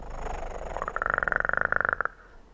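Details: Close kitten purr, loud and clear, with rapid regular pulses of about two dozen beats per second for about a second before stopping abruptly. Faint background hiss.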